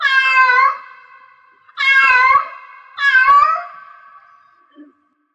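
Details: Three long, loud meows from a cat in heat, each a sustained wail that fades slowly, about one and a quarter seconds apart, with a soft short sound at the end.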